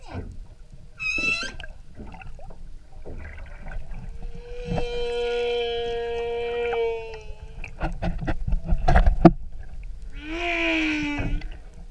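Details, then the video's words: Humpback whale singing, heard during an outrigger canoe tour off Maui, Hawaii: a brief high harmonic cry, then a long steady moaning tone held for about three seconds, and a rising wavering whoop near the end, over low water rumble. "Humpback Whales Song Maui"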